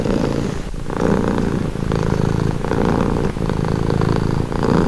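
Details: Domestic cat purring steadily, a calming sound: low rumbling pulses in alternating inhale and exhale phases roughly every second, continuous with no other sounds.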